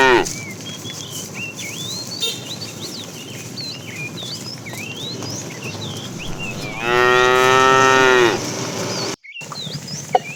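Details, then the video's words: A fat cow among tame herded cattle calls the female in the afternoon. Busy chirping and whistling of small birds fills the background before a single loud, even moo of about one and a half seconds. "The funny sound of a fat cow calling the female"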